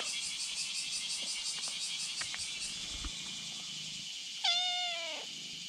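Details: A kitten lying on a bridge calls to a black cat behind it: after a stretch of pulsing high buzzing, a single loud, short meow bursts out and falls away near the end.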